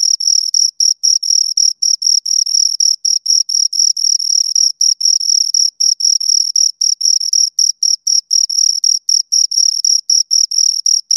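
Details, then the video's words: Two crickets producing a sustained series of shrill chirps, short tonal pulses packed about four to a second with small irregular gaps, clear and close with no other noise. "Two Crickets Chirp Sounds"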